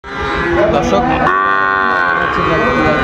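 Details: Sahiwal bull calves at a busy cattle market in Ranigonj, Dinajpur, Bangladesh, in August; a long harmonic moo with steady falling overtones rises over crowd chatter and voices.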